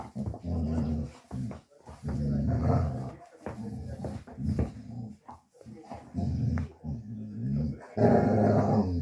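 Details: Young male Dogo Argentino mix, born 1 August 2023, in foster care in Osnabrück, Germany, during December 2023, growls almost nonstop: deep harmonic rumbles in bursts of one to two seconds, separated by brief gaps.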